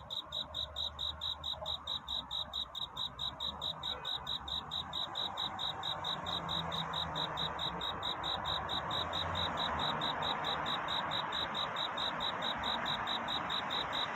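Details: Night cricket courtship song: bright, high-pitched chirps pulsing quickly and regularly, roughly two to three per second, at first sharply separated and later blurring into a steady hiss, with a soft low drone underneath.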